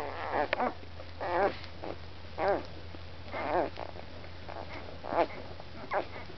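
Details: One-week-old Labrador retriever puppies at dinner time, giving short squeaky whimpers and grunts in irregular bursts about once a second, with a steady low hum indoors.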